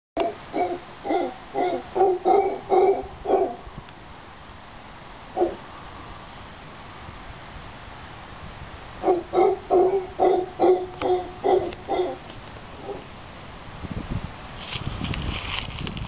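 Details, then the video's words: Near Casas Pelicano, Playa Junquillal, Costa Rica, howler monkeys give bouts of deep, rhythmic grunting barks, several per second. "Howler Monkeys near Casas Pelicano, Playa Junquillal, Costa Rica"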